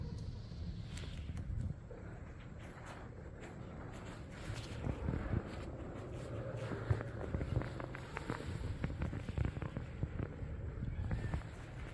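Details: Outdoor footsteps and scattered crackles over a low rumble of distant traffic.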